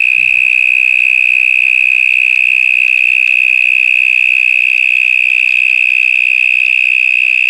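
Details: Very loud cicada calling from somewhere inside a stormwater drain, a continuous intense high-pitched drone holding one steady tone with rapid even pulsing throughout, a faint low voice audible at the very start.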